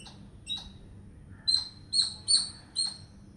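A squirrel gives sharp, high chirps, five in quick, uneven succession.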